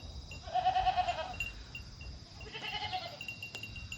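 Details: Mini goats kept on a handmade home farm in Japan, recorded on 25 August: two wavering, harmonic bleats, the first near one second long, the second fainter around three seconds, with soft ringing chimes and a light click.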